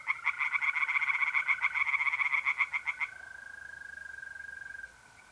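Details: Tree frogs singing at night in mid-April in a pond in north-eastern Italy: rapid pulsed croaks, about four per second, for three seconds, over a steady continuous trill of mole crickets that carries on after the frogs stop.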